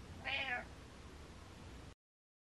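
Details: One brief, bright meow from Butters the pet cat, rising and falling quickly near the start, followed by near silence.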